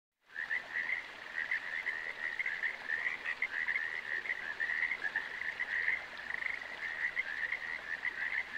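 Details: Frogs calling in a dense, continuous chorus of rapid, raspy croaks that form an unbroken buzzing band, steady throughout with slight pulsing, no other sounds evident.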